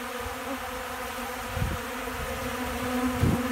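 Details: Honey bees packing cracked corn into their pollen sacks in Central Alabama on a windy day before storms: a continuous droning hum, with gusty low wind thumps breaking through twice.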